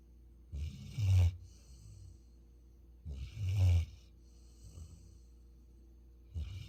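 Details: Deep sleeping snores from Futu, a Jeju Labrador Retriever: three gravelly rumbling inhalations roughly every two and a half seconds, each with a breathy hiss, softer exhales between.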